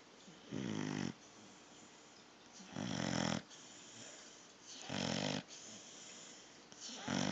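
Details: Pit bull puppy asleep and snoring: loud, rough, half-second snores recurring about every two seconds, separated by softer breaths, over a constant hiss.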